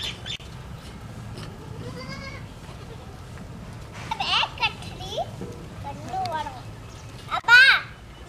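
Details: White baby goats drinking milk: several quavering, wavering bleats, one near the second mark, a cluster of short bleats around four to five seconds, and a louder one near the end, with people talking in the background.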